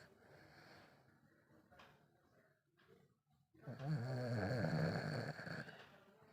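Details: Sleeping Lhasa Apso puppy, Chinku, snores: soft breathy rasps at first, then one loud, buzzing, low snore lasting over two seconds in a quiet room.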